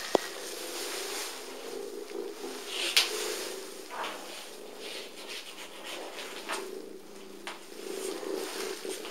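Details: Sally, a small, playful, abandoned female cat with patchwork fur at North London Cats Protection, purrs with one of the loudest purrs around: a steady, throbbing low hum with faint rustles and a brief click near the start.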